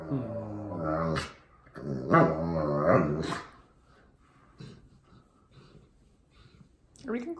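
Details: Wallace, a pet Old English Sheepdog, voicing what is on his mind: drawn-out, wavering harmonic whines and groans for about three seconds, then quieter human talk about going for a walk.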